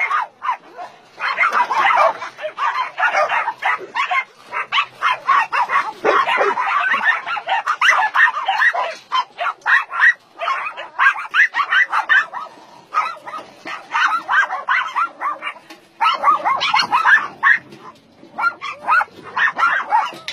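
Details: Many dogs barking at once on a meat farm and puppy mill in Nonsan, South Korea, in January 2017, where some 150 dogs are kept, including Dobermans, Shar-Peis, Chow Chows and Golden Retrievers: a dense, overlapping din of sharp barks with barely a pause.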